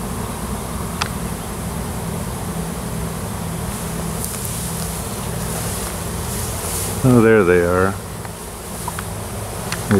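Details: Close to a wild honey bee swarm around a new queen on a Washington farm, bees looking for a new home; a steady buzzing drone, briefly overlaid near the end by a short wavering louder tonal sound.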